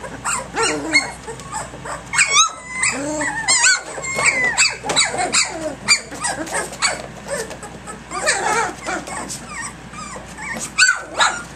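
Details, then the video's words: A rowdy litter of puppies, three weeks and three days old, romping at 6 a.m.: a dense tangle of overlapping squeaky yips, whimpers and small growls, several pups calling at once with hardly a pause. "Egypt's ACTIVE Puppies 3 weeks 3 days"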